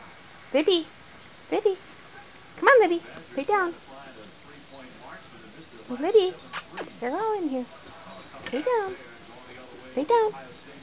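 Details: Newborn puppies from the litter of Libby and Hoops, born January 28, 2012, in a small room: about a dozen high, harmonic whines arching up then down, in bursts, while a person calls the mother dog Libby to lie down.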